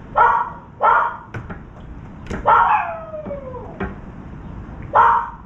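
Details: Dog barking from an apartment while a crow on a rainy balcony is chased away: four sharp, high barks spaced about a second or more apart, with a whining, falling yelp in between and steady rain in the background.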